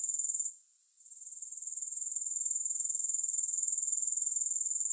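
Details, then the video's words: Grasshoppers trilling in a shrill, pulsing buzz without music; after half a second the sound drops out briefly, then creeps back up to a rhythmic high-pitched chirr of roughly three pulses per second. "3 Hours of Grass Hopper Sounds"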